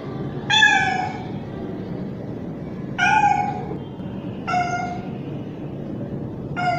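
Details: Young male street cat mating call for a female: four separate meows, each under a second long and falling slightly in pitch, spaced one and a half to two and a half seconds apart, with quiet background noise.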